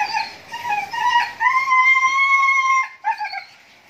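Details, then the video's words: Husky (Siberian breed) whining while mating: choppy, wavering whimpers lead into a long, steady, high cry held for over a second, then a few short broken whines. "SIBERIAN HUSKY (MATING)"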